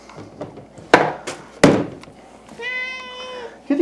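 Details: Indoor domestic cat, one of three, yowling for its favourite food as the food is handled. Two sharp thuds come first, then a single drawn-out, steady meow that eases slightly downward, with faint household noise.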